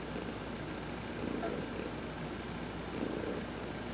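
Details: Domestic cat Heidi, adopted, lies in the sun being massaged and purrs, a low soft drone with two gentle swells about 1.8 seconds apart and faint rubbing hiss.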